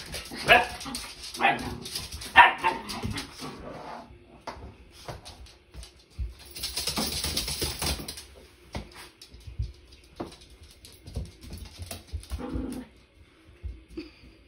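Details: Pet dogs Nala and Jersey at play in their new playroom, with Nala not wanting Jersey in the tent: several sharp, broadband barks cluster in the first few seconds, then scattered softer yips, rustling and a burst of hissing noise.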